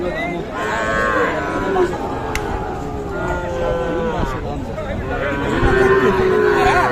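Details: Sahiwal bull calves at the Aftabganj cattle market, Nawabganj, Dinajpur, on 16 July 2024. Drawn-out, harmonic moos sound almost continuously, overlapping and wavering in pitch, over the chatter of a crowd of traders.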